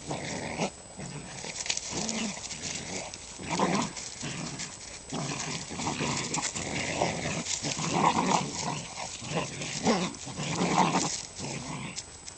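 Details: Two male red-nose pit bull puppies, eight weeks old, running in a yard; rough, noisy growl-like bursts come in uneven clusters across the recording over a steady scuffling background.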